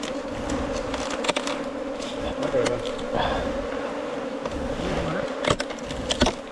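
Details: Honey bees at a nest inside a 4-metre-long bamboo stem give a steady, droning hum with a low tone and a higher overtone, broken by sharp clicks and knocks.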